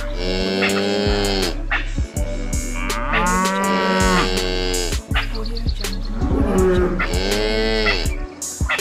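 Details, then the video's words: Cow on a farm lowing repeatedly: three to four arching, harmonic moos spread over several seconds, set against a steady droning background with intermittent clicks. "wild animal sound_cow"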